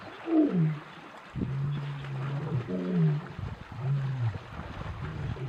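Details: Male lions of a coalition roar after crossing the Sabie River between Kruger National Park and Sabi Sand, chasing an unknown male. Low, moaning roars and descending grunts come in separate bursts over low background rumble.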